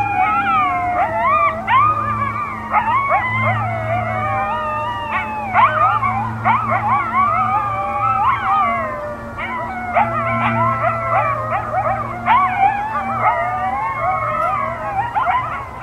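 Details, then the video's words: A pack of coyotes howls together in a frozen New Hampshire field in cold winter: wavering sirens broken by sharp yips and yodels, with a low steady hum beneath. "COYOTES HOWLING in the Cold New Hampshire Winter - WiNE"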